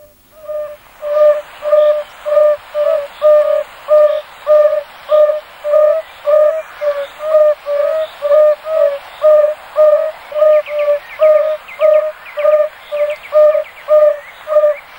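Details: Several male yellow-bellied toads singing a few centimetres from the microphone to attract females: soft, low, hooting single notes repeated at a steady rhythm, about every 0.7 seconds, with faint higher chattering notes joining toward the end.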